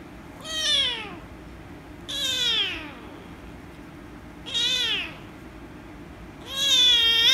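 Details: Loud protesting meows from an angry rescue kitten being petted: four strained, falling calls about two seconds apart, the final one longer and held steadier, in a quiet indoor setting.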